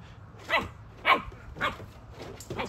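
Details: Female Siberian Husky yelling dramatically at her ball, three loud drawn-out howling yelps about half a second apart, each sweeping down in pitch, with a softer fourth cry at the end.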